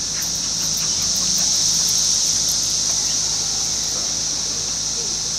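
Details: Steady, shrill, hissing chorus of Brood X periodical cicadas during their 17-year emergence, June 2021, in a Fairfield, Ohio neighbourhood beside a woods, swelling slightly while faint voices sit underneath.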